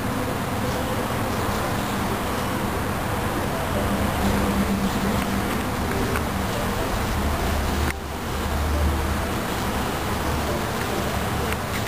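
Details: Honeybees from a colony bred for gentleness and productivity: a steady, dense low hum with a faint droning tone, continuous for about twelve seconds, a brief dip near the eighth second, and a constant noisy rumble underneath.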